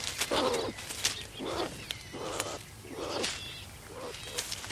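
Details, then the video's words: Skunks in the wild give rough, breathy squealing bursts, five in a row at nearly one-second intervals, each with a raspy hiss, over a steady background rustle. "What Sounds do SKUNKS make? | SKUNKS Sound Effect"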